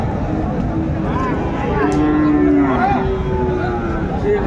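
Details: Young Friesian or crossbred bull for sale at Raniganj cattle market, Dinajpur, Bangladesh, 2 January 2025: one low, flat moo of about a second, slightly falling at the end, amid loud haggling voices and crowd noise.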